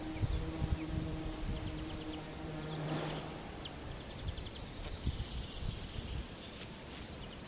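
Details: A bumblebee among violets in Turčianske Teplice, Slovakia, gives a low, steady droning hum that fades in and out, with faint bird chirps far behind.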